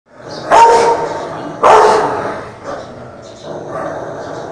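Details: A French mastiff gives two loud, deep, rough barks, then quieter huffs, aggressive toward a Rottweiler.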